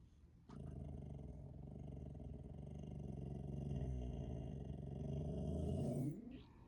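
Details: A Boxer gives an unusual growl-howl bark, a long, deep, rough sound that swells slightly before breaking off.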